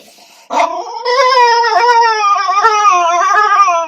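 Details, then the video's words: Dog giving a weird, funny vocalisation: a short yelp, then a long, loud, sustained howling whine that wavers slightly and drifts slowly downward in pitch for about three seconds. "Dogs Funny Sounds"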